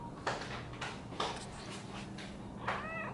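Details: Domestic cat Theo, also called Shio-chan, startled after another cat, Thea, scared him while he relaxed; several soft broadband scuffling bursts, then a short harmonic meow rising and falling near the end.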